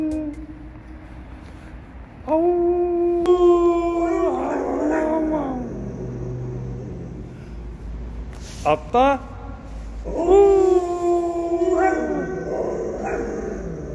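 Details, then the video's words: Pet dog named Kani, known from TV appearances, howling indoors: long steady harmonic-rich howls rising in pitch at the start and sliding down at the end, two main bouts with brief yelps between. "카니의 하울링~아우~"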